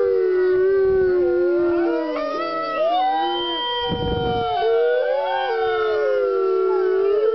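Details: Several captive gray wolves at the California Wolf Center howl together on the Fourth of July, in long, overlapping tones that slide up and down.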